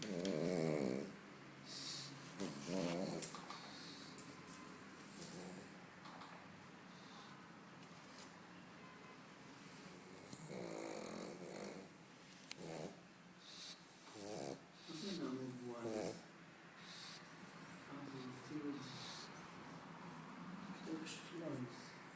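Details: A sleeping pet dog snoring indoors: irregular raspy, fluttering snores in bursts every few seconds, with soft breathy noise between.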